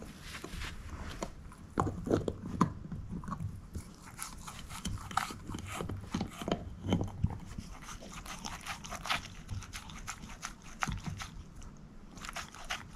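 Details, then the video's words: Shepherd mix Moose eating a bone: continuous soft crunching and wet chewing, punctuated by sharper bites every second or so, with a low thudding undertone. "SHEPHERD EATING BONE ASMR"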